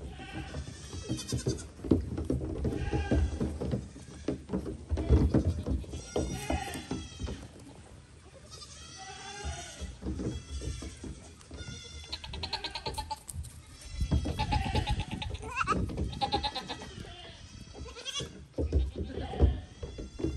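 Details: Goats clambering about a little dinghy, bleating in wavering, nasal bursts, some high and drawn out, mixed with hollow hoof clatter on the boat, rumbling background and possible voices.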